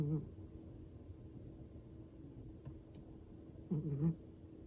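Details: Elderly Siamese cat named Bidung, very tired and asleep, snoring: a short, low, buzzy rumble at the start and another near the end, with a faint steady hum in between.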